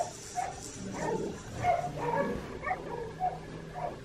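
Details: Young red merle Australian Shepherd male, described as very social, letting out faint, thin yips and whimpers in quick irregular succession, with low room hum beneath.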